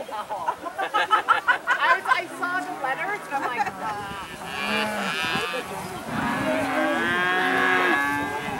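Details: Dairy cattle out on spring pasture for the first time, running and jumping; rapid thumping and scuffling early on, then overlapping moos from several cows building into a sustained chorus toward the end.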